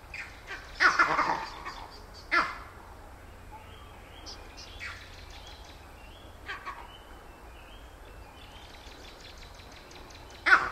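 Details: Vervet monkey filmed at Lake Naivasha, Kenya, making its distinctive call: rough, grating chatter bursts near the start and end with quieter scattered calls between, a low hum underneath.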